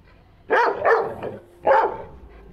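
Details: Dolo, a pet Labrador, barking during play: a quick pair of loud, full barks followed by a single bark about a second later, then quiet.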